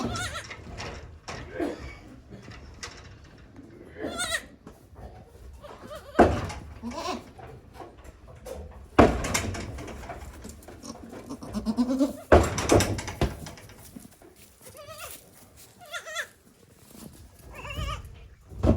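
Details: Day-old goat kids on a small Japanese goat farm, April 2024; intermittent trembling bleats mixed with human speech, clattering and handling sounds throughout.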